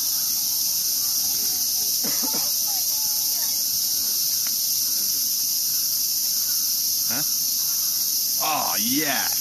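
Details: Cicadas calling in Ueno Park, Tokyo, Japan, out again for the year along a walking path: a loud, unbroken high hissing drone fills the air, with brief bursts of a man's speech over it.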